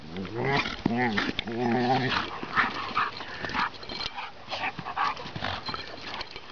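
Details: Bailey the seven-month-old chocolate Lab puppy pulls at Ridgeback Vaska's loose skin during play; an opening drawn-out tonal whine-like sound leads into grumbling growls and thrashing noise, with a voice talking over it.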